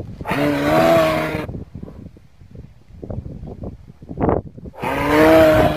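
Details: Moose with two drawn-out, nasal moans about a second long, separated by a stretch of rustling and crackling movement noise.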